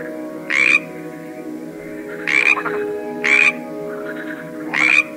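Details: Frog from a collection of various frogs, giving four short, harsh, broadband croaks spaced about one to one and a half seconds apart over a steady, low droning background of sustained tones.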